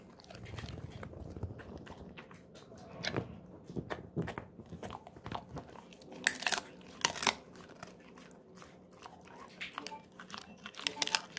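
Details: Golden Retriever Moko gnawing a pig ear treat in a small indoor room, softer crunching and biting clicks scattered throughout, with a few louder crunch bursts around the middle and faint low rumbling underneath.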